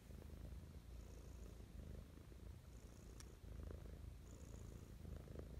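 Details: Mischa, a domestic cat, purring contentedly in the morning; steady low rumble in breath-length waves, one brief sharp click midway.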